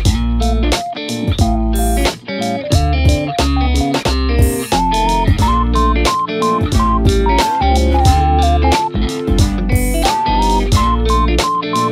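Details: Loud guitar-led instrumental music with bass plays throughout, with no barking or other animal voice.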